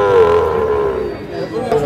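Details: Sahiwal bull calves at a livestock market in Madaripur, Bangladesh, on 30 November 2024; one steady, low lowing moo holds for well over a second with rich overtones, while men's voices haggle nearby.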